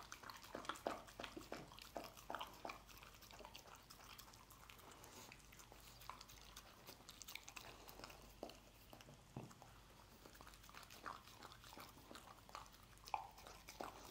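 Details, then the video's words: Scrambled egg being eaten by a dog, heard as soft smacking and licking clicks scattered unevenly, quieter than surrounding passages, with a low steady background hum. "Dog Eating Egg Scramble"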